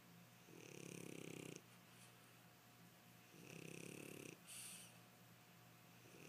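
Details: A French Bulldog snoring while asleep on its owner's leg: two long, rasping, buzzy inhalations with a whistling overtone, separated by quieter exhaled breaths, plus a faint steady hum.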